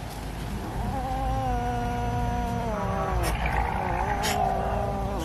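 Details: Cat being fed fish gives one long drawn-out meow lasting several seconds, steady at first, dipping in pitch and then swelling again, over a low rumbling background with a few sharp clicks.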